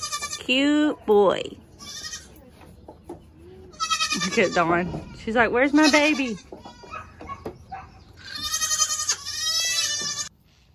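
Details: Kidding season 2022 baby goats crying out in loud quavering bleats, a pair of calls early, a dense overlapping cluster in the middle, then a high bright bleat near the end, with quiet gaps between.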